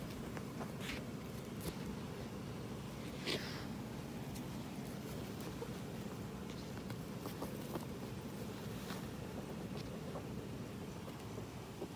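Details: Steady low rumbling background noise with a few faint rustles and clicks, and no clear animal voice.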